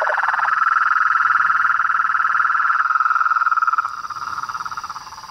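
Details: Frog and toad chorus: a loud, rapidly pulsed trill at a steady mid pitch that softens and becomes more spaced after about four seconds, with a constant thin high whine above.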